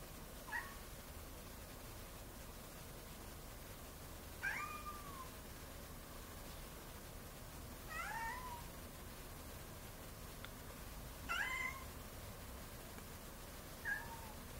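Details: A domestic cat meowing five times at spaced intervals, each meow a short harmonic cry that rises and then falls, over a quiet background.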